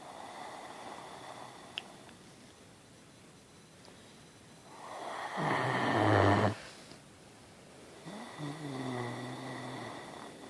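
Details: A 1.5-year-old Great Dane sleeping against a person and snoring right by their ear: loud, deep rasping inhales followed by softer, rumbling breaths.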